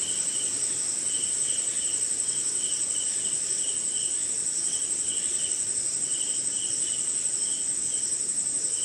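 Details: Crickets calling on a rainy night in India, a constant very high ringing trill plus a rhythmic row of short mid-high chirps, roughly two per second, against faint steady rain noise.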